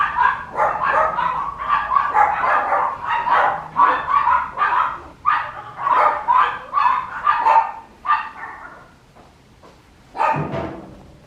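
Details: Papillon puppy barking steadily, about two short sharp barks per second for eight seconds, then a pause and one final bark, with little other sound.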